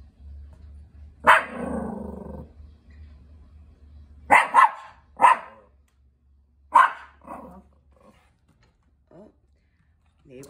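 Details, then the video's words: Nippy, a female Chihuahua on watch at the door indoors, barks at a neighbour outside. Four or five sharp, high yapping barks come in uneven bursts over ten seconds, with quiet gaps and faint room hum between them. "Chihuahua Dog Nippy Being a Watch Dog"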